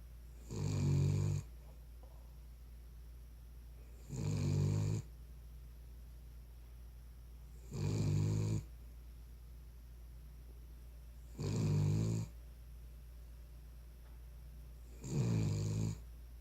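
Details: Sleeping Cavalier King Charles Spaniel snoring indoors. Five deep, raspy snores of about one second each come at a steady pace, roughly every three and a half seconds, with quiet breathing pauses between.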